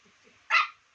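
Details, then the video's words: One short, sharp yip from a Chow Chow puppy against a quiet background. "Cutest Chow Chow Puppy Ever!"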